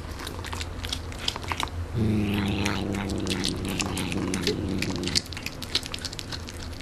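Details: Canadian Sphynx cat eating and making funny noises: rapid crisp chewing clicks throughout, joined midway by a low, buzzing, hum-like murmur that lasts about three seconds before fading back to chewing alone.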